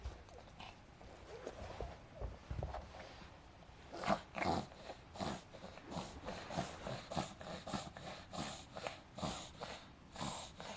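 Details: Reverse sneezing by Adina, a five-month-old pug girl, at about 4pm on May 9, 2012, after a burst of frantic running: rapid rhythmic snorting gasps, about two per second, louder and steady after the first four seconds, in a quiet room.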